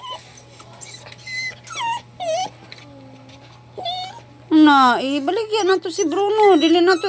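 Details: A dog crying with drawn-out, wavering, high whining wails that rise and fall, quiet at first in short broken whimpers, then loud, sustained, sobbing cries in the second half.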